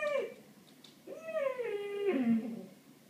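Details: Ralph the cat reacts to birds with two whiny, descending meows. The first is short and the second is long and sliding, heard in a quiet indoor room.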